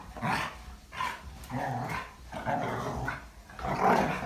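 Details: A Jindo and a Siberian husky play together, growling in fun rather than really fighting; rough, throaty growls rise and fall in bursts about every half second, with snorting breaths between them.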